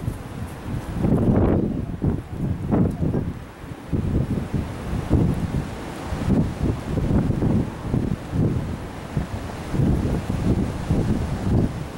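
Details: Heavy wind buffeting the microphone in uneven gusts, with a low rumble like surf, and no animal voice.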